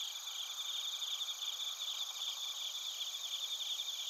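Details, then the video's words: Crickets, including bell crickets, sing together in Narita, Chiba, Japan, recorded with a TASCAM Portacapture X8. Overlapping high, pulsing trills form a continuous shrill chorus throughout. "スズムシとコオロギの鳴き声 - Chirping of crickets"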